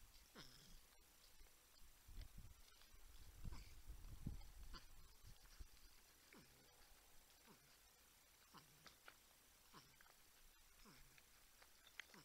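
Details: Humming, grunting porcupines at a wildlife camera in San Angelo, Texas, with a buck and raccoon nearby; faint downward-sliding grunts recur steadily, with low thuds and rustling early on.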